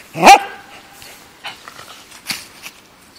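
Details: Pembroke Welsh Corgi playing in a park lets out one loud, abrupt bark, followed by a few faint, soft sounds.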